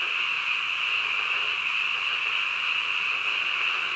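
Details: Middle-of-the-night frog chorus, countless voices blending into one continuous high-pitched buzzing hum, unchanging in pitch and level from start to end.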